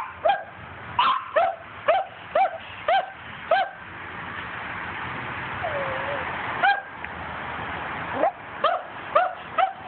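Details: While hunting squirrels, a dog barks in an even series about every half second, falls quiet for several seconds amid steady background hum, then resumes with a fresh run of clipped barks.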